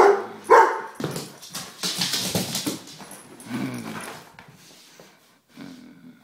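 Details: A 1-year-old Weimaraner gives a sharp bark followed by softer yips and whines.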